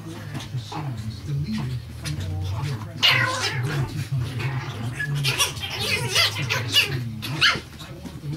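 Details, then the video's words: Chihuahua puppies, 6.5 weeks old, at play indoors: short squeaky yips and small scuffling growls come in scattered bursts, loudest around the middle, over a steady low hum and faint human voices. "6.5 week old puppies at play"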